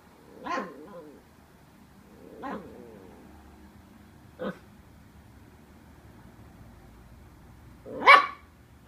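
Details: Young Welsh Terrier intimidated by cardboard packaging gives a few hesitant, muffled woofs a couple of seconds apart, then a louder, sharper bark near the end.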